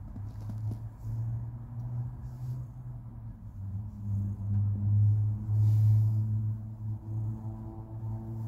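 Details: Domestic cat named Precious purring on a lap while being petted: a steady, deep, rumbling drone that swells and fades in slow breathing cycles.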